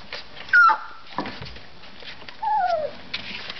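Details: Collie pups three weeks old at play give two thin, tonal whimpers. The first is short and high, and the second is longer and falls gradually in pitch, with faint rustling between them.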